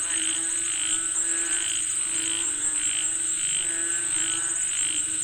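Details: Frogs calling for rain: regular short croaks pulsing about twice per second in a busy chorus, with a persistent high-pitched insect drone throughout.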